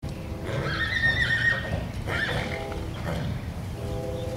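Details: Buckskin Andalusian P.R.E. filly whinnying: several short harmonic neighs with a shaky, wavering tone, separated by brief pauses, over a steady low rumble of background noise.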